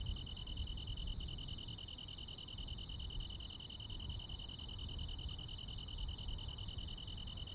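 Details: Rural summer night filled with cricket and insect calls: an unbroken, finely pulsed high-pitched trill with a second slightly higher band, sparse bright ticks above, and a muffled low rumble beneath.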